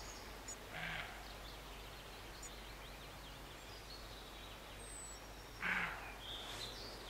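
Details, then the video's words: Roe deer near Morpeth, Northumberland, August 2012, giving two hoarse, gruff barks spaced roughly five seconds apart over a quiet rural hiss, with faint high birdsong between them. "Roe Deer Barking"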